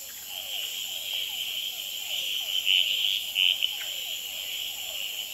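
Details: Male red-eyed treefrogs calling, tremulating and fighting on a potted plant at the Experimental Pond in Gamboa, filmed at night under infrared; two loud short clucking bursts stand out over a steady high trilling chorus and repeated descending whines of hourglass treefrogs and other species.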